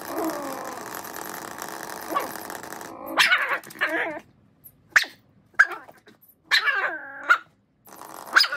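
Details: Miniature Schnauzer playing intently with a toy mouse: steady background noise for three seconds, then short, sharp barks with stacked harmonics, some drawn into whiny growling tones, in irregular bursts roughly once a second, separated by near silence.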